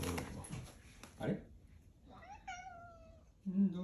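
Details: Odeko, a pet cat, clinging and meowing for affection until father goes out; a soft voice speaks first, then one drawn-out harmonic meow that slowly falls, ending with a low thump.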